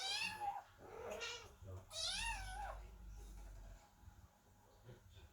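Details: Worried kittens sit at the door and meow loudly as the cat Chloe gives birth inside: two long, bending, high meows, the second sliding downward, then quieter faint sounds in a small room.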